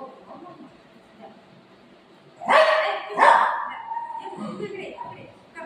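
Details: Play-fight between a golden retriever and a shih tzu puppy, Buzo and Milo: two sharp, loud barks close together mid-clip over a low murmur of voices, followed by softer scuffling and yips.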